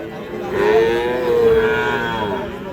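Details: Sahiwal calf, five months old, offered for sale at a cattle market, gives one long, steady, drawn-out moo lasting about a second and a half, rising slightly then holding level, over a murmur of market chatter.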